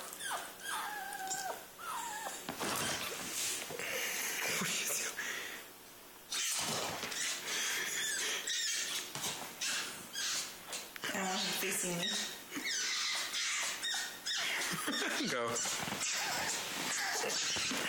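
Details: A pet fennec fox gives rapid, shrill screams and squeals in quick bursts out of excitement, not hurt.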